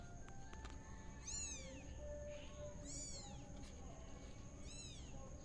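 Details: Tabby kitten spinning in a pot: three thin, high meows, each sweeping down in pitch, about one and a half seconds apart, over a constant low background rumble and a faint steady tone.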